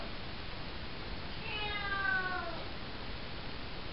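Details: At night in a bathroom, a four-month-old calico kitten called Cocoa gives a single soft, falling meow said to sound like "hello", partly masked by low rumbling background noise.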